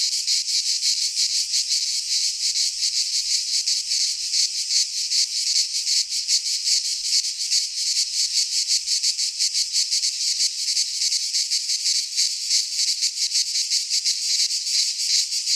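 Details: Midsummer chorus of cicadas in a pine forest in Greece, a continuous high, grating buzz made of rapid, even pulses, steady and loud throughout with nothing else heard.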